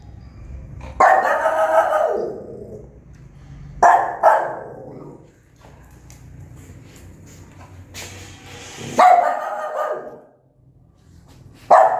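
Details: Newborn puppies' mother barks angrily and at length: harsh, ringing barks arriving about every three seconds, some in quick doubles, over a low background hum.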